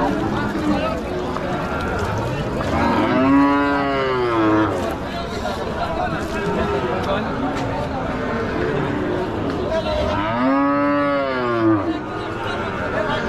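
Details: At a busy village cattle market, a cow gives two long, drawn-out moos that rise and fall, amid a steady crowd murmur.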